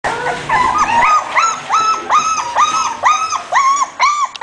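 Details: English Bulldog giving a steady run of high, arched whining notes, each rising then falling, repeated about two to three times a second, with a brief rougher noise at the start.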